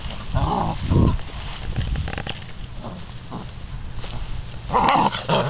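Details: Six-week-old American Bandog Mastiff puppies in a prey drive test, tugging at a chicken tied to a string, give short low growls and snorts amid scuffling and handling noise.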